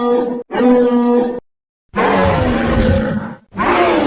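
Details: White rhinoceros giving deep, harmonic moaning calls in three loud, sustained bursts separated by brief silences, the middle call the longest and roughest, each holding a steady droning tone with rich overtones.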